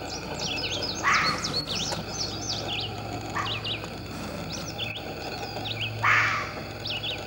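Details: Fox giving rough, raspy barks: two loud ones about five seconds apart with a fainter bark between, while small birds chirp and whistle throughout above a low droning hum.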